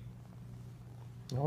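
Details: Pampered pet cat purring while getting a massage and belly rub indoors; a steady low continuous rumbling purr, then a person's voice breaks in briefly at the end.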